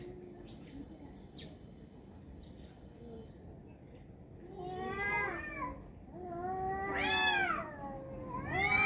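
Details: Two tomcats fighting: after a few seconds of quiet with faint high chirps, long wavering yowls rise and fall with rich harmonics, swelling louder in overlapping drawn-out wails near the end.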